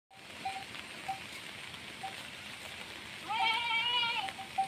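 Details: Desi goat on a goat farm giving one long wavering bleat near the end, preceded by steady background hiss and short, faint, repeated bell-like tones.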